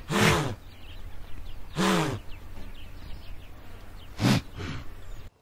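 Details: Blue wildebeest alarm call in Southern Africa: three loud, harsh, low snorting grunts about two seconds apart, each with a short downward-bending tone; faint bird calls in the background.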